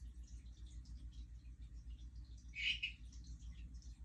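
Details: Hourglass tree frog (Dendropsophus ebraccatus), also called Harlequin tree frog, giving a non-breeding call a day after a mating event: one short, bright double chirp near the end over a steady low hum.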